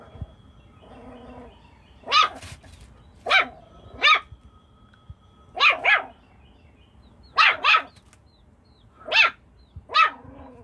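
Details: A Jack Russell Chihuahua cross dog playing with chickens barks in sharp, high, clipped yaps, about ten over ten seconds, coming singly or in quick doubled pairs with short quiet gaps between bursts.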